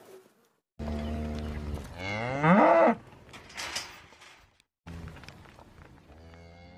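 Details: A cow gives a long, deep moo that starts low and swells, rising and straining toward its end over about two seconds. After a short pause comes a quieter, lower moo.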